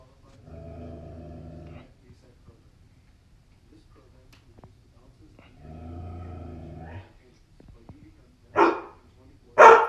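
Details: Old English Sheepdog frightened by a Chucky doll: two low, rumbling growls of about a second each, followed by two sharp, loud barks near the end.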